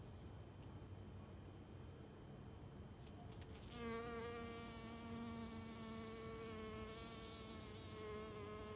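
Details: A pollen-covered worker honey bee at work in a white Rose of Sharon flower: its steady, low wing buzz starts partway through and hums on with a slight wavering pitch.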